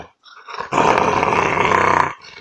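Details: Five-year-old female Rottweiler making a growl-like sound of pleasure while being petted, not true growling: a loud, steady, rumbling rasp lasting about one and a half seconds after a brief softer lead-in, with a person speaking nearby.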